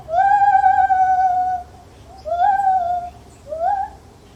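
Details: Lar gibbon in a zoo: one long, level hooting note with a faint waver held for over a second, then two shorter hoots that rise sharply and fall, with quiet pauses between.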